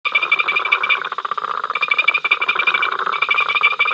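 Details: Frog chorus recorded by the africamLIVE live cam at Ol Donyo, an incessant row of many callers: dense rapid clicking and rattling notes with a steady high bright tone running through, no pauses.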